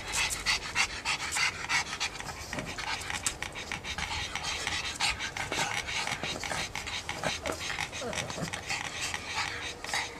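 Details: A pug panting rapidly, short breathy rasps repeated about three times a second in an uneven rhythm, with faint human voices in the background.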